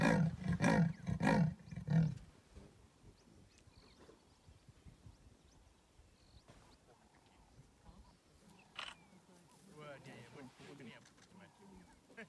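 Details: Leopard in the wild: a series of about five deep, rasping sawing grunts in quick succession at the start, then quiet with faint outdoor sounds and distant bird notes.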